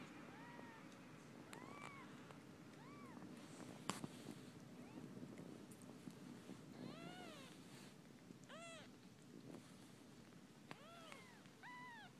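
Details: Four-day-old kittens being bathed by their mothers: many high, arched, harmonic squeaks repeated throughout, some in rapid runs of three to four, with a sharp knock near four seconds and a low background hum.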